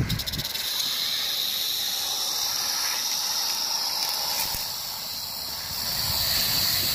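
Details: Rattlesnake recorded on 1 July 2018, giving a continuous dry, hissing buzz that holds steady throughout, dipping slightly in loudness near the five-second mark before swelling again.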